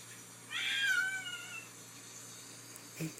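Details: Domestic cat named Sylvie, indoors just after a bath, upset and batting at a phone: one drawn-out meow lasting about a second, starting strong then sliding downward and fading, with a faint click near the end.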